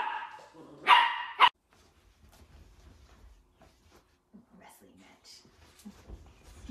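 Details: Playful Dachshund puppies: two quick, loud, high barks burst out close together near the start, followed by near silence with faint rustling and soft low thumps from the room.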